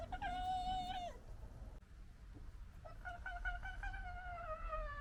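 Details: Red fox from a local fox family gives drawn-out, whining calls that rise and sag over a low background rumble, amid gekkering, squabbling and general disagreement.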